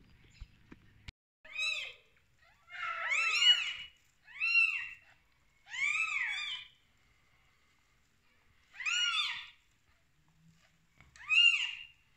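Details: Newborn kittens on their first day of life, just born to their mother cat: about six thin, high arched mews, some doubled, come in bursts with short silent gaps between them.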